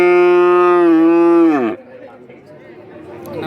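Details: Loud, rich bellow from cattle at the Kajen market in Pekalongan, Central Java, Indonesia; an even, strongly toned moo lasts about a second and a half, then drops sharply and cuts off, leaving faint crowd noise.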